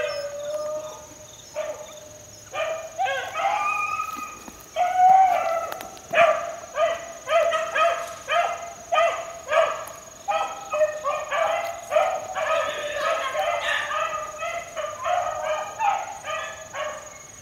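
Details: Young four-month-old Beagle pups working in the wild in 2013 give a chorus of ringing, yelping bays that overlap and repeat about once a second. A steady high insect whine runs underneath.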